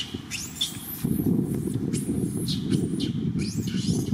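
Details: Janet, a monkey, cries very loudly out of fear of big monkeys: shrill, high arched wails rise and fall about four times in four seconds over a heavy low rumble of wind or handling noise.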